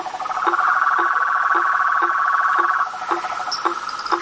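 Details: Frogs, toads and tree frogs in a natural setting: a dense, rattling trill goes on without pause while deep knocks repeat about twice a second, and brief higher chirps join in late.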